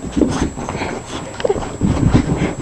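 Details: Scarlett, a female bulldog, running wild indoors in an excited frenzy, making deep throaty grunts and snorts in short bursts, while a person keeps cheering her on with repeated calls of "go".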